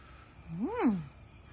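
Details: An English bulldog puppy barks at night, apparently at a tow truck on the road, acting protective: a single drawn-out tonal bark rising and falling over half a second, like a short yowl, over a low hum.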